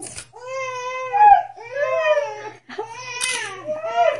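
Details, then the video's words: Siberian Husky named Diesel indoors beside a baby girl in her bassinet, whimpering and howling as the baby cries: three long, smooth, rich harmonic wails, each slightly rising then falling, with a short pause between them. "A husky dog cries with a baby"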